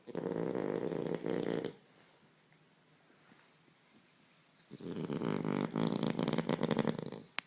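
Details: A French Bulldog asleep and curled in a blanket indoors gives harsh, rattling snores: a buzzing snore under two seconds long, about three seconds of near silence, then a longer, stronger snore with fast, fluttering pulses.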